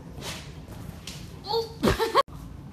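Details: Young female pygmy goat playing and running around a living room in Dallas, Texas, September 2017, gives a short, nasal bleat that wavers in pitch, with faint room noise.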